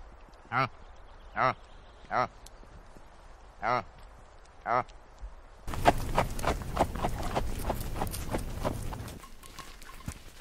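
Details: Reindeer grunting: five short, tonal grunts with stacked harmonics, spaced under a second apart, followed by a dense spell of broadband rustling and clicking noise.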